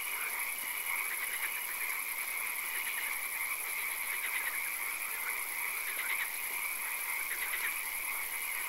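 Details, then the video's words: Swamp frogs at night: a thick, steady croaking chorus punctuated by several brief rattling pulse bursts, over a constant shrill high-pitched background hiss. "Frog Swamp - Ambience ASMR - 3 Hours - Frog Calls, Swamp Sounds and Occasional Rain"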